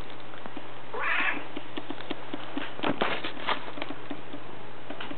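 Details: Black domestic cat lying in a lap gives a single short, hoarse meow about one second in, followed by soft scattered ticking and rustling sounds against a steady low hum.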